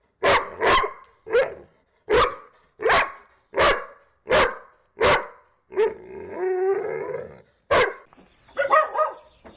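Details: Dog barking: a steady series of sharp barks about every three-quarters of a second, broken by a drawn-out whining, howl-like yowl, then more barks and a rough whine at the end.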